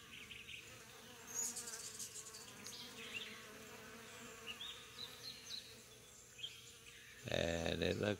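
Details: Honey bees foraging on corn in June, seemingly collecting corn pollen; a low continuous buzzing drone persists throughout, with scattered higher clicks and a burst of a person's voice near the end.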